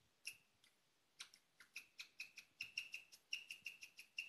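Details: A female pet guinea pig chirps at night, an unusual sound: sparse, sharp high chirps at first, quickening into a faster repeated series of short bird-like notes.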